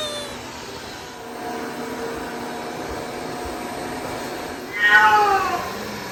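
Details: A pet cat reacting on first sight of a robot vacuum cleaner gives a single drawn-out, slightly falling meow near the end, rising out of a steady mechanical hum and whine from the machine.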